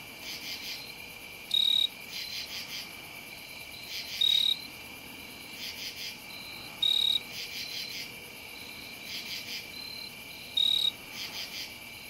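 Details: A jumping bush cricket sings low in a lilac in Ithaca, New York, on September 11, 2018, giving loud, brief trilled bursts every few seconds over a steady insect hum.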